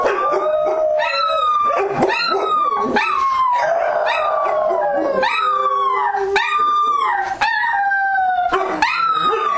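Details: Dogs at night in an ambient recording: several voices howl together in long, wavering, overlapping tones that slide downward, with short yelps and sharp barks breaking in every second or so.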